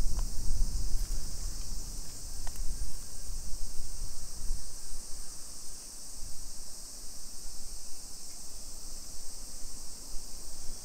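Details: A shrill, even cicada drone fills a Nisshin city residential street, suburban Nagoya, Aichi, Japan, on a July 2021 summer afternoon, sustained without pause while low thumping footsteps and street rumble pulse underneath.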